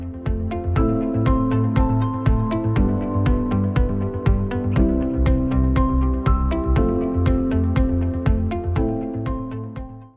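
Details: Steady electronic music plays throughout, with regular percussive hits about twice a second over sustained low tones. No barking, growling or other animal voice can be picked out.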